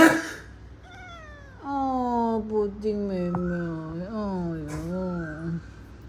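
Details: Pet cat named Murphy, upset when someone sneezes, gives long drawn-out falling meows indoors, several wavering wails with steady harmonics, while a person talks to him and music plays faintly.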